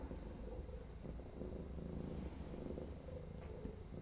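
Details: Trapped feral female cat, infested with feline lice and needing dental surgery, purring during her intake exam in February 2018 as dirt is cleaned off her foot; a steady low rumbling throb runs throughout, with faint room noise.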